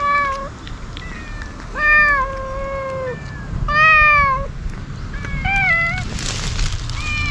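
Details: Several community stray cats with tipped ears cry insistently as food arrives, cautious yet eager; quick overlapping meows from different cats, some short and rising, others drawn out and falling, close together over outdoor background noise.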